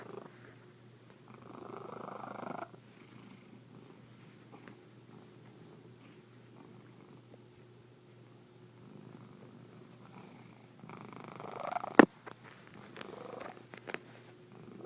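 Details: White domestic kitty giving an odd, weird purr; soft low continuous rumble with breathy rising-and-falling swells, interrupted by a sharp loud knock near the end.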